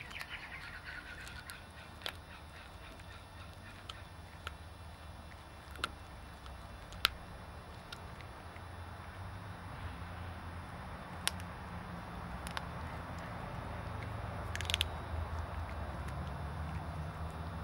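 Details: A Bengal cat eats a whole chicken drumstick for breakfast, crunching the bones with sharp, irregular cracks over a low, steady hum.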